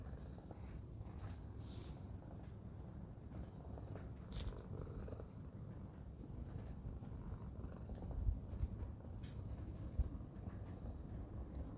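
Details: Black cat lying on an outdoor cushion, purring continuously in a low, even, throbbing rumble, with a few faint clicks and a light hiss in the background.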